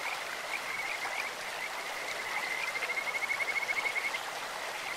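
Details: Kajika frog calling in a clear stream, a bird-like voice: a high, even trill of rapid pulses that gradually swells and then stops, over constant rushing water.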